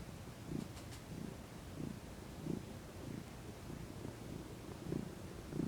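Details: Domestic cat, female, relaxing in sunshine and purring. A quiet, low rumble rises and falls in rhythmic throbs about every two-thirds of a second, with faint background hiss.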